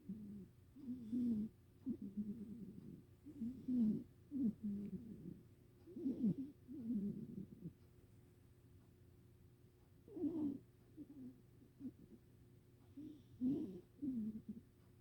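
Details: Rescued pet cat snoring: soft, low rumbling breaths in irregular bursts of snores with brief pauses, faint and close in a quiet room.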